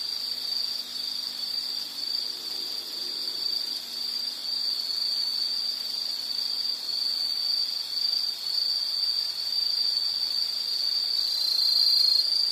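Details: Chirping insects in a calming nature recording, a constant high trill running the whole way, growing a little louder toward the end, with faint low rumble underneath early on.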